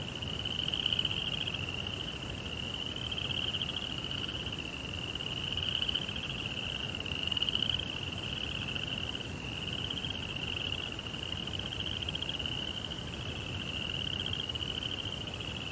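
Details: Crickets singing at night in a Japanese Zen garden beside a koi pond, a sustained high rapid trill from several insects, rising and falling gently in loudness, over faint hiss.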